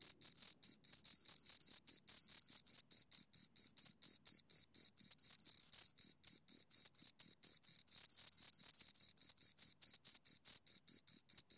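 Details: Crickets, two of them, chirping in a rapid high-pitched series of scraping pulses, some pulses merging into longer trills, continuous and loud with nothing else audible.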